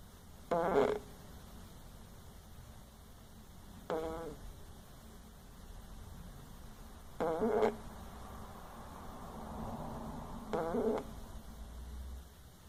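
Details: A sleeping opossum snoring: four short, raspy, harmonic bursts spaced about three seconds apart, each lasting under half a second, over a steady low hum and faint hiss.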